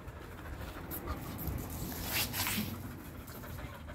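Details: Kathy, a sporty female dog who loves running and gets along well with other dogs, panting in quick, breathy bursts of about four per second, with soft rustling and background noise outdoors.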